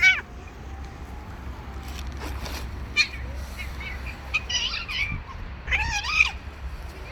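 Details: Street cats, a male forcing himself on a female: short wavering meows rise and fall in two bursts near the end, over a low steady hum, with sharp clatters and distant human voices.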